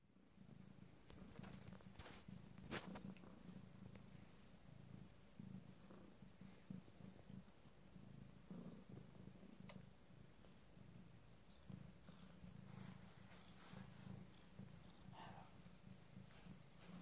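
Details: Abyssinian cat purring while nursing her first litter of 5-day-old kittens in a sitting position: a steady low rumbling purr with a pulsing rhythm throughout, and faint scattered clicks and rustles.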